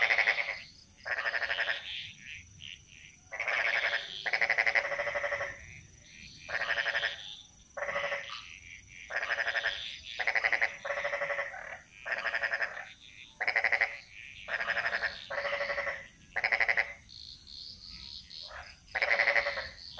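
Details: Frogs calling in a Bali jungle: loud pulsed, rattling croaks in bursts of about one second, repeated with short gaps, over a steady high chorus of insects or distant frogs.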